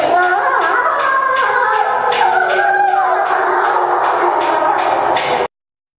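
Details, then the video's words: Group howl of timber wolves after feeding at Tama Zoological Park in September 2015: overlapping sustained howls of varying pitch blend into a dense chorus, with regular faint clicking pulses throughout before the sound cuts off abruptly. "食後の遠吠え大会Timber wolf Howling after a meal"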